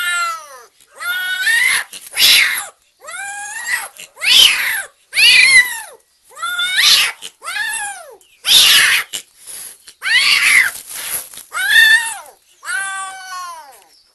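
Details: Excited kitten, described as energetic and almost going crazy with happiness, meowing loudly and without stopping. About fourteen strong, arching meows come at an uneven pace, some drawn out and strained like wailing, with almost no gaps between them.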